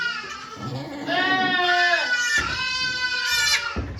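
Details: Okayu, a farm goat at Yoshigake Farm, bleating while giving birth to two kids on 3 May 2023, volunteers watching: two long, wavering, nasal bleats run back to back, the second breaking off sharply.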